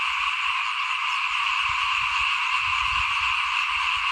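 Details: Small frogs calling in front of a house at rice sowing time in 2021: a dense, unbroken chorus of many callers forms a steady, shrill, layered drone throughout, with faint low rumbles underneath.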